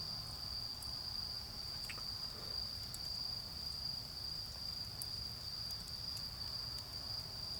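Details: Autumn insects calling in a garden beside a crackling bonfire: a steady, unbroken high-pitched ringing trill runs throughout, with scattered sharp crackles from the fire and a low rumbling background.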